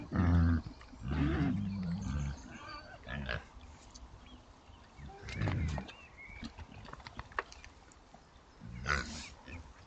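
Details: Low, short grunts from Oxford Sandy and Black pigs, a rare British breed, foraging through woodland on a trail camera. Several bursts, about a second apart in places, with brief high squeaks and leaf rustling between.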